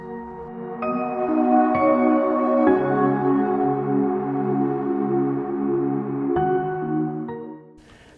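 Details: Slow ambient music with sustained layered tones and soft chiming notes, with no animal voices heard.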